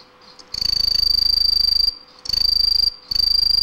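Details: Green tree cricket (aomatsumushi) song: a high, shrill, evenly pulsed trill held steady in bursts, the first about one and a half seconds long and the later ones under a second, separated by brief silent gaps.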